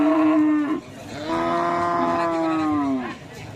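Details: Madura cattle of the kerap racing type owned by a village head in Langsar, Saronggi, Sumenep; a short harmonic moo, then a longer steady one sliding down at the end, with faint background music.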